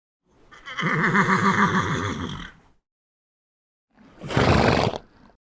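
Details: A horse gives a drawn-out, trembling whinny lasting around two seconds, followed by silence and a brief rough blast of breath.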